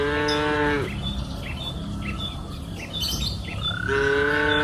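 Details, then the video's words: Cows on a lush green pasture hill in the afternoon: one moo trails off at the start and another begins near the end, with bird chirps and a steady high whistle-like tone between. "Sound of cows mooing up the green pasture hill in the afternoon"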